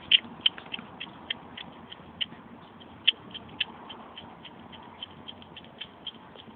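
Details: Hedgehog, a male, making odd noises while eating: sharp, irregular clicking and smacking sounds scattered through the clip, a few louder snaps standing out above soft chewing, with a quiet background.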